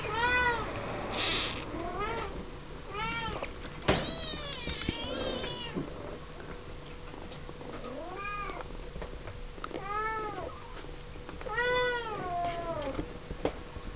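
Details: Pen of seven-week-old Siamese kittens born 01/07/11 from Misty and Willow, talking and playing; repeated short arched meows every second or two, several voices overlapping, a faint steady tone and occasional clicks behind.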